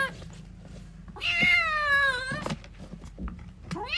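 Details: A kitten calls for its mother with one long, wavering meow lasting over a second, slowly falling in pitch, followed by a brief rising meow starting; clicks and a low background hum present.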